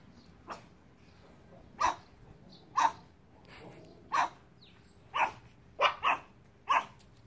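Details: Small Chihuahua family dogs, mother, father and daughter, hanging out on a beautiful sunny day; sharp high yappy barks come singly about a second apart, then a quick double bark, seven barks in all over a quiet background.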